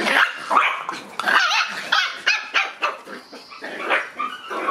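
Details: Red Shiba Inu born March 31, barking in rapid, choppy bursts of high, sharp yelps and growly barks, several per second, loud and insistent throughout.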